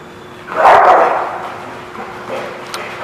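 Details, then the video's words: One broad, muffled dog bark rises out of a noisy, echoing space at The Barking Lot, recorded 20 February 2017, with softer indistinct sounds and a brief click later on. "The Barking Lot"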